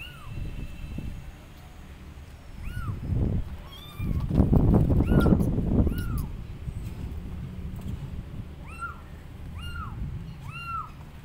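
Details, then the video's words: Abandoned kittens perched on a gate calling loudly for their mother, giving high arched meows in quick bursts; a spell of rustling and handling noise interrupts the middle before the meows resume and repeat at the end. "Abandoned Kittens Are On Gate Meowing Loudly Calling Mom Cat"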